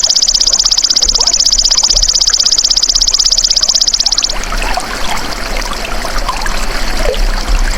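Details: Golden grasshopper (belalang emas), a natural recording used as a masteran tutor sound for songbirds: a high, rapid, evenly pulsed buzzing trill for about four seconds, then it stops, leaving a trickling, rustling background.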